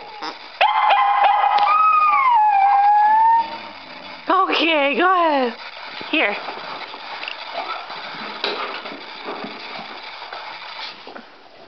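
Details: Murphy, a dog held back from playing with Chauncey, gives long sliding whines and a run of quick falling yelps, while Chauncey barks for the ball; a person talks throughout.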